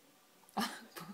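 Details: A female chinchilla eating a raisin that sticks to her teeth gives two short, harsh, cough-like grunts a fraction of a second apart, as if choking or angry.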